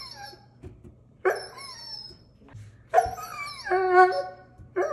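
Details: Doberman Pinscher dog wanting a balloon, giving loud high whining and howl-like cries in separate bursts, some notes sliding downward, with rich layered tones; a brief low hum runs underneath.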